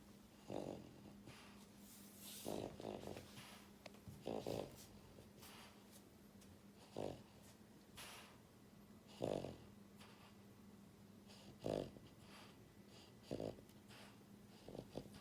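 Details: Buhiko, a pied female French Bulldog born January 2022, snores loudly while asleep indoors: short rasping snorts recur roughly every two seconds, each a throaty burst with quiet breathing between, eight or so in sequence.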